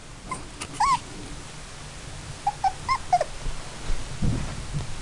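Miniature dachshund puppies give short, high whimpering squeaks, some rising and falling, in brief bursts.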